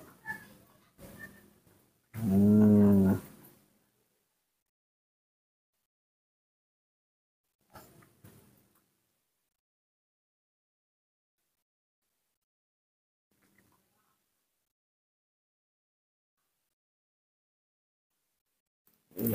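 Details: Baby monkey Nomi, refusing bananas and asking for milk, gives one loud, harmonic wailing cry about a second long. Brief rustles and faint clicks come before it, then near silence follows.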